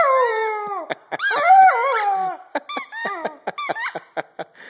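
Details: A Vizsla puppy gives one long descending howl, then a wobbly rising-and-falling cry, trailing off into short squeaky yips and clicking sounds.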